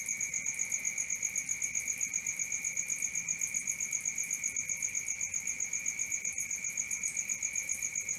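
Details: Crickets at night: steady pulsed chirping, about four pulses a second, with one high shrill band and a lower ringing band running without pause through the whole stretch. No other clear sounds.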